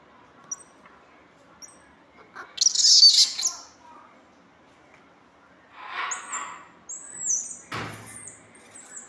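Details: Pet squirrel monkey giving sharp high chirps and squeaks: a loud squealing burst near three seconds, softer chirps around six, a thin whistled note near seven, with quiet room background.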